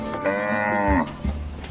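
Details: Large cattle kept by a traditional cattle farmer, cared for and fed. One drawn-out moo lasting about a second, steady and tonal, dipping slightly at its end, followed by a few low thumps.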